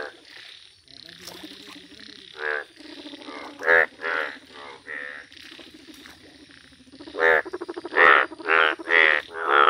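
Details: Indian bullfrogs, yellow-coloured, in a village setting. Softer background croaking gives way to loud, evenly spaced buzzy croaks, roughly twice a second, strongest toward the end.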